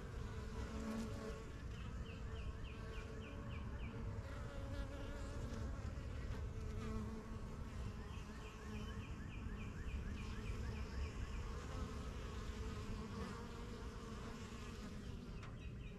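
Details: Constant deep buzzing of honey bees flying in and out of their new yellow backyard hive, the strongest of a first few set up in spring 2023; bursts of rapid repeated bird chirps sound twice in the background.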